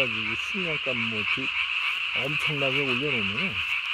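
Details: At night on 3 May 2020, a Japanese tree frog inflates its single throat sac to body size and gives rapid runs of harmonic croaks that bend up and down, about three per second, above a steady high chorus hum.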